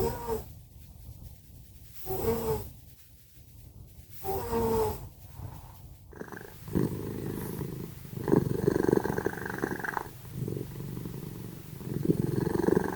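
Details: Sleeping pet cats Simba and Prissy snoring very loudly indoors: first several short wheezy, tonal snores with nasal whistling overtones every two seconds, then a rough, rapidly pulsed rumbling snore in long breaths from about six seconds on.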